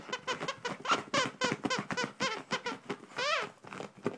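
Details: Miniature pinscher excited over a hidden squeaky toy, making rapid squeaky whines and yelps several times a second, some rising and falling, indoors.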